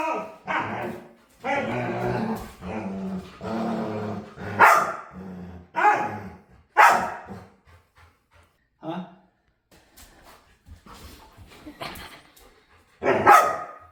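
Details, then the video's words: Playful dog begging to play, making weird noises: a run of drawn-out, moaning, harmonic yowls in bursts of about a second, then shorter yelps and a loud final whine, with human voices faintly in the background. "Cutest Dog Begs To Play"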